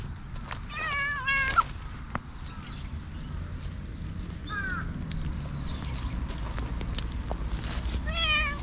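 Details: A black stray cat in a park, playful and biting, gives several meows: two wavering ones near the start, a short softer mew midway and another rising-falling meow at the end, over continuous low outdoor background noise.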